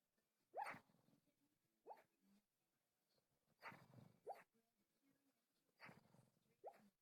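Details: Pet dog barking in its sleep indoors: muffled, soft woofs in short bursts, about six in seven seconds, some paired, with quiet whimpering tails and a still, silent room between them.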